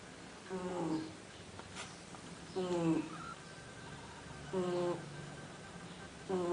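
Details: Fred, a pet dog, snoring while asleep indoors: nasal, harmonic snores with a slightly falling tone, one about every two seconds, over faint room hiss.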